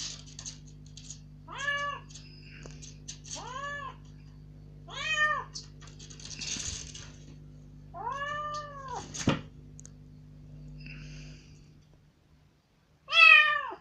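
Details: Rescued kitten, about three days after rescue, first let out of its cage into a room indoors, loudly demanding to go outside; six drawn-out arching meows at irregular gaps over a steady low electrical hum, with a sharp final cry.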